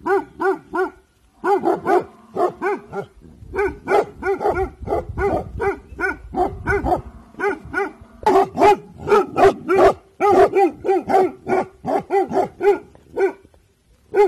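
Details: Dabu Goli, a Bhotia dog guarding at evening time, barks on alert in a long, dense volley of dozens of harmonic barks, accelerating and overlapping, with a low rumbling noise underneath midway.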